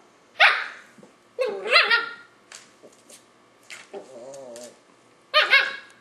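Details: Nadia, a 5-month-old Löwchen puppy, barks at Tigger the cat, trying to get it to play: sharp high yaps with a short whiny growl in between, indoors.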